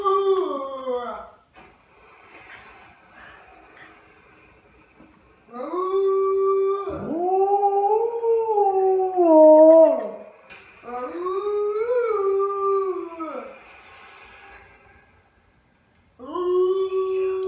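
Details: A male Alaskan Malamute "sings" alongside a boy, howling in long, wavering notes that rise, hold, then fall away.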